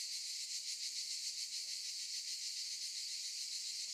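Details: Chorus of cicadas in olive trees making a continuous high, sizzling drone with a soft rhythmic throb, steady in loudness throughout and with nothing else audible.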